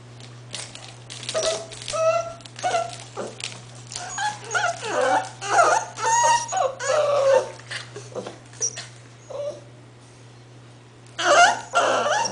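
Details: A litter of eight-week-old English Bull Terrier puppies keeps up rapid overlapping whimpers, yelps and whiny squeals, dense through the first eight seconds, then a quieter lull before another loud burst near the end; faint low hum beneath.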